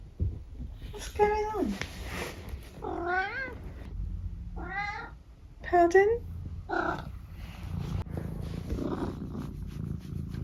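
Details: Eric, a pet cat, vocalising at breakfast time indoors: a run of five or six distinct meows, some falling, some wavering and trilled, spaced about a second apart, with faint low rumbling beneath.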